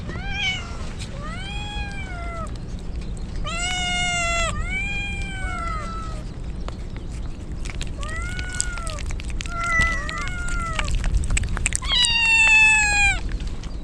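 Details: Rain-drenched stray kittens crying as a typhoon nears, Japan: arched, harmonic meows in short bursts, several voices calling in turn with pauses, under constant rainfall noise.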